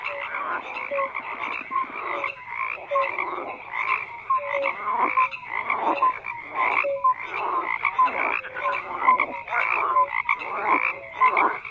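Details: Frog chorus with rhythmic bursts of rasping croaks about once a second, short tonal notes between them, many callers overlapping without a pause.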